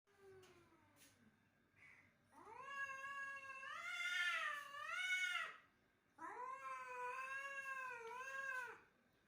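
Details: Domestic cat in an angry, aggressive fight: drawn-out wailing yowls with rich harmonics that rise and waver, two long cries separated by a short pause, after a few faint lower sounds.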